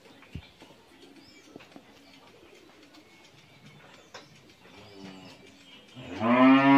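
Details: An eleven-month-old Friesian heifer calf on a dairy farm in Bhangura, Pabna, Bangladesh. After a quiet stretch of faint clicks and soft bird coos, a loud, rich, harmonic moo starts near the end.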